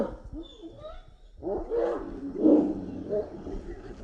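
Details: Street dogs fighting over a female, giving harsh snarls and rising-and-falling growled yelps that swell loudly midway through, with a quieter stretch of rough noise before.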